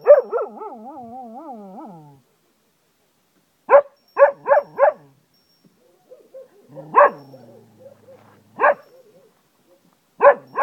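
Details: Cocker Spaniel in Ajloun, Jordan, howling like a wolf: an opening wavering howl that falls away, then a few short yips, a quieter moan and scattered sharp barks separated by silences.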